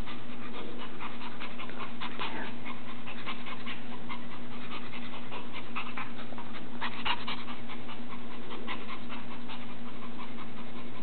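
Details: Proud puppy with his beloved toy monkey, showing people what he can do: fast, somewhat irregular breathy pants, about four each second, run throughout above a constant low electrical-sounding hum.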